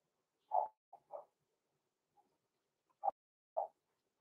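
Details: Blenheim Cavalier King Charles Spaniel puppies Roman and Blue, six weeks old, in an indoor puppy pen. Brief sharp puppy barks, two close together, then single yaps spaced about half a second to a second apart, with quiet gaps.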